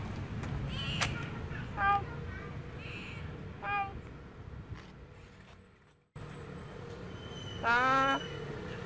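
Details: Female cat Bopha in Siem Reap, Cambodia, walking and following the camera; a few short harmonic meows, the last one loud and drawn out with a rising tone. Background hum and a brief silent gap midway.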